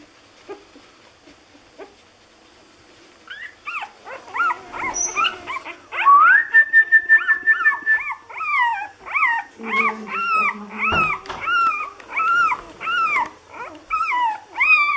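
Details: Lagotto Romagnolo puppy from an A litter in Hamburg, six days old: quiet at first, then a long steady whine followed by loud arched whimpers, rising then falling, repeated about twice a second in a nearly regular run.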